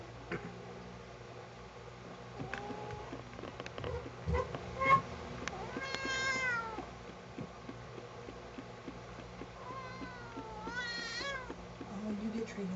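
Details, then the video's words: Pet cat Sugar, unhappy at being combed, complains with two clear, sliding meows: a rising-falling cry, then a longer wavering one several seconds later, against quiet indoor background hum and small handling noises. "Sugar doesn't like combs"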